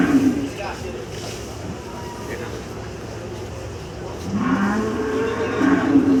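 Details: Cattle at Gabtoli cattle market, Dhaka, Bangladesh, on 12 July 2024; a short moo opens, then a longer rising moo follows after a stretch of market chatter and engine rumble.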